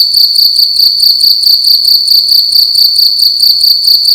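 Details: Night-time cricket calling loudly inside a room; shrill, ringing high chirps repeated in fast even bursts a little over two per second, nothing else clearly heard.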